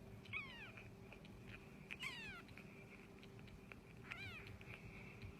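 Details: Indoor pet cat meowing three times, each a brief, bright, downward-sliding mew about two seconds apart, over a constant low hum.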